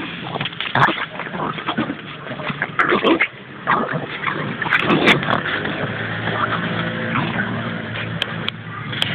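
A Boston Terrier gives excited, broken whines and yips in greeting over steady background noise.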